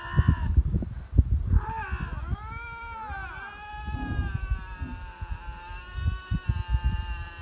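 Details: Lynx, apparently vying for territory, giving long, wavering, moaning howls that swoop up and down, with low rumbling noise beneath; onlookers call the encounter rare.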